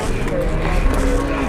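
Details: One of two cattle in Indonesia gives a short, low, level moo, a steady droning tone held for about half a second near the end, with people's voices talking over it.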